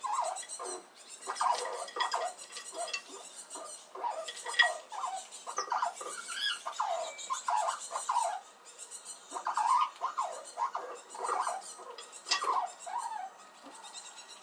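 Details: Little red squirrel squeaking noisily at an approaching rival squirrel while guarding its nut supply: a steady run of short, nasal, bent squeaks, fairly even in loudness, with faint high ticking in the background.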